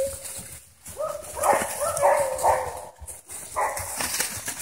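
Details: Several dogs at play in a private dog park, barking in a quick run of four or five harsh, ringing barks amid general outdoor noise and rustling.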